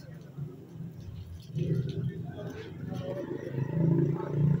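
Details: Dogs playing and fighting, low rumbling growls building and swelling toward the end, with human voices talking over them throughout.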